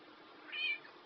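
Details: Chloe, a black cat that talks, giving one short, high, slightly rising meow in a quiet room with a steady background hiss.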